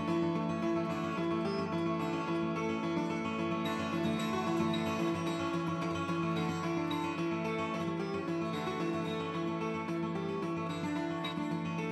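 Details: Steady strummed acoustic guitar music plays throughout, with no animal calls audible.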